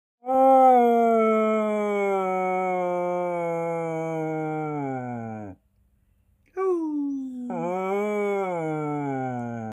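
A Working Cocker Spaniel howls in a sustained, rich tone that sags lower over about five seconds before fading. After a short pause it tries again with a brief yelp that slides into another falling howl.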